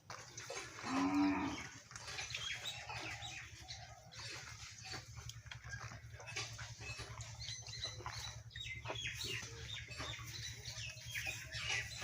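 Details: Cow being milked by hand by a village woman, giving one loud, low, drawn-out moo early on, followed by steady rustling and splashing milking noise with a low hum underneath.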